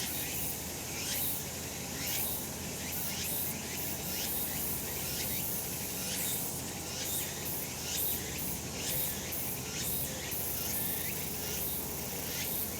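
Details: Cicadas calling on a sunny summer mountainside: a steady, dense high buzzing fills the air, cut by short rising sweeps that repeat about once a second, over a low background rumble.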